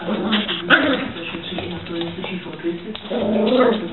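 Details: Two Cavalier King Charles Spaniel puppies, Matty (8 months) and Snoopy (3 months), playing over a plush toy; short whimpers and yips rise in bursts, overlaid by a person talking encouragingly and a television news broadcast in the background.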